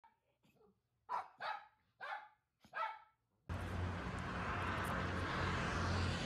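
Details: Poodles walking around the Self-Defense Force base in Japan; four short barks in quick succession, then a sudden wash of loud broadband noise takes over.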